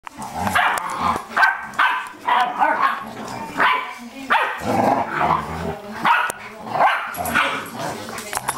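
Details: Eight-week-old pit bull puppies playing and barking with each other and their parents; short rough barks and yaps come in uneven bursts about every half second to second, with low growly tones mixed in.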